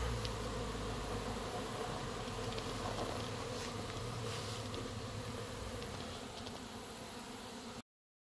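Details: Hundreds of Western honey bees fly around their hive in a play flight, not swarming, making a steady, dense hum of many overlapping wingbeats.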